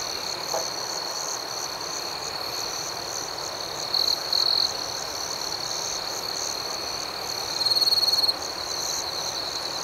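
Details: Nighttime cricket chorus: a continuous high-pitched ringing hum, with brief louder trilled bursts rising out of it twice, near the middle and toward the end.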